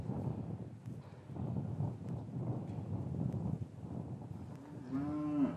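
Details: Cattle in an English cattle yard on a winter's afternoon, after the calves were separated from their mothers, recorded with a matched pair of Rode M5 microphones; a short rising moo comes near the end over steady low yard rumble and shuffling.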